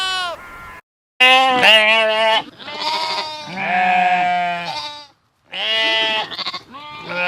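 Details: Sheep bleating in a compilation of sheep sounds: a rapid run of loud, harmonic, wavering baa calls, several overlapping or back to back, broken by short silences, with higher and lower voices alternating.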